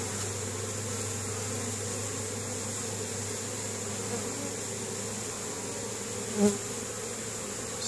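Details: Many honey bees at work bringing pollen to the hive in Caribou, Nova Scotia, Canada, on a spring day, 10 May 2015: a steady humming drone throughout, broken once by a brief knock near the end.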